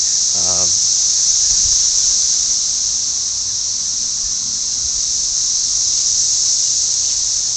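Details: Deafening mating chorus of millions of cicadas, a continuous high, hissing buzz that holds steady without a break; a short voice is heard near the start.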